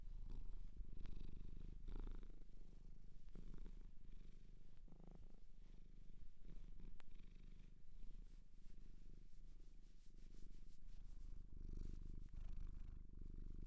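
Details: Loud continuous purr from a cat taken home from a shelter in Japan, captured close for ASMR; a dense, unbroken low rumble throughout, with occasional soft handling noises.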